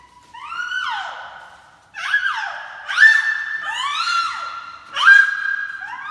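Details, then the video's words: Baby noises: bright, siren-like squeals that swoop up and then slide down, repeated about every second or two with brief gaps. There is no other clear sound. "Baby noises don't need any explanation | Baby Making Noises"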